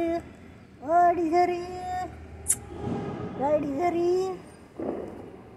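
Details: Domestic cats Desiree and Alba, frightened by Diwali firecrackers, give drawn-out wavering meows. A long bending cry is followed by a shorter one, then a few faint clipped calls, with soft background hiss between.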